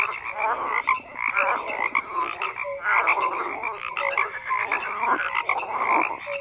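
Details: Croaking frogs in a thick overlapping chorus, raspy pulsed calls mixed with short clear notes, continuous throughout with regular surges in volume.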